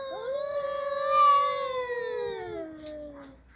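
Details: Cat, from a pair with Mickey and a red cat: a single sustained, plaintive yowl rising briefly, held steady, then gliding downward over about three seconds, with faint background rustle.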